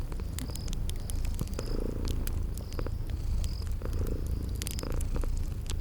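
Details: Sleeping kitties give a rumbling, continuous purr that rises and falls slightly in strength, mixed with crackling fire snaps and occasional faint high chirps in a spring garden setting.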